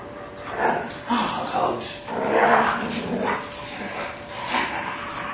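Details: Tala, an eight-month-old female Alaskan Malamute pup, wrestling in play: a run of short, rough yips and barks, several per second with brief pauses, over a person's voice talking nearby.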